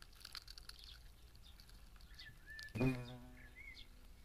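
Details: European hornet (Vespa crabro) attacking wasps: a loud, low droning buzz starts abruptly and holds steady for over a second, with scattered thin bird chirps and whistles around it.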